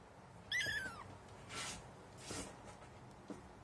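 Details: High-pitched kitten meow falling in pitch, heard on its first encounter with cat litter, followed by soft scratchy rustling bursts like paws shifting through litter.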